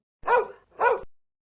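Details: Pet dog giving two deep, sharp barks about half a second apart, each short and full-toned, with silence around them.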